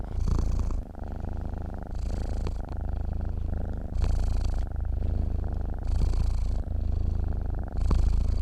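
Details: Continuous low purring from a cat asleep, the rumble rising a little in loudness roughly every two seconds with each breath and never breaking off.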